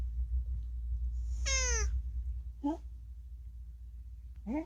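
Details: Unagi, a rescued cat known for chattering, much of it about food, lets out one strong falling meow followed by two shorter, lower rising chirps, with a low hum underneath in a small room.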